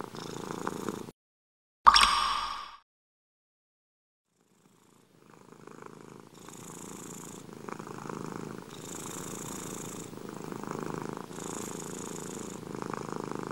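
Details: A domestic cat purrs softly after a brief louder clatter and several seconds of silence. The low purr then builds into rhythmic breathing cycles with airy hiss peaks roughly every one to two seconds.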